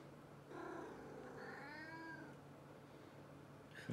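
A Maine Coon cat gives two drawn-out meows, the second rising then falling, over a low hum.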